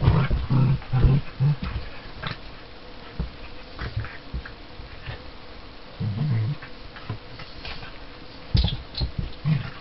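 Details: Play time between Border Collie puppy Luna and Tia, a 7-year-old Border Collie and Springer Spaniel cross, with quick low growls repeated in a run at the start and again midway, separated by rustling and light scuffles.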